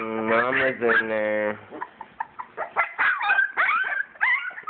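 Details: English springer spaniel puppies playing and nursing; a woman's voice opens, then a run of short, high, squeaky whimpers and yips follows, several per second, bending up and down in pitch.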